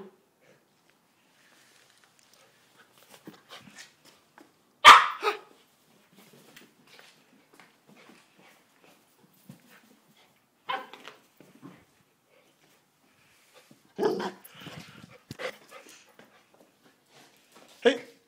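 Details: Female Samoyed indoors in one of her moods: scattered short loud barks near 5, 11, 14 and 18 seconds, with quieter grumbles and whines between them.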